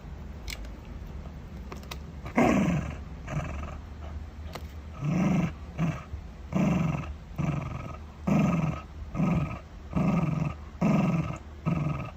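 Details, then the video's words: Shiba Inu guarding its dental chew, giving rhythmic low growls in bursts of about a second, roughly every 1.5 seconds, after a quiet start with a few faint clicks. "護食柴犬：引擎發動（Shiba Inu）"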